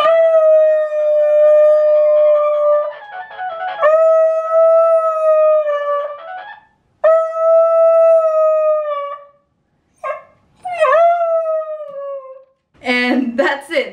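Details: A dog howls in response to a sound played over a phone call, giving long, drawn-out howls that hold steady and then sag at the end, with some music behind.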